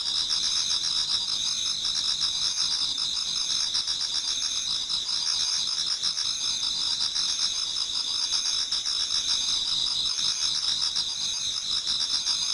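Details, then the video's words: Many autumn insects singing together in a Japanese garden towards dawn: steady, dense high-pitched trilling bands with rapid pulsing chirps layered over one another, continuous throughout with no other clear sounds. "Autumn Insects voice Towards dawn"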